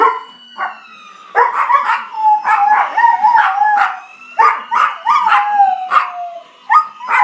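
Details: Pet dog howling back at a fire truck siren. Wavering yowls and clustered yips come in uneven bursts, with a steady siren whine held underneath throughout.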